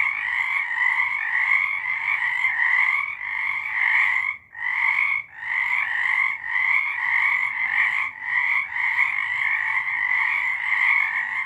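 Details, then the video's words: Many frogs calling together after dark in March 2023, a rolling, buzzy trilled chorus that drops out briefly near the midpoint, then resumes with rhythmic swells and small gaps. "Frogs singing"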